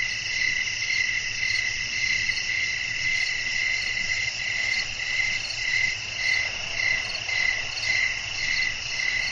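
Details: Night-time cricket chorus with wind blowing, meant for relaxing sleep: continuous high ringing trills, several layered voices, with a gently throbbing rhythm roughly twice a second and a soft low hum beneath.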